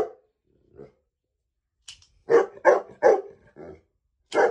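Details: Saint Bernard dog, three years old, reacting to a child's toy gun by barking: a few faint low sounds, then four loud barks in quick succession followed by one more.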